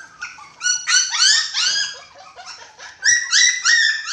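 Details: Dachshund puppies, six weeks old, feeding together alongside a Japanese Spitz; a steady stream of shrill, harmonic squeals, each arching up then sliding down, several pups calling over one another.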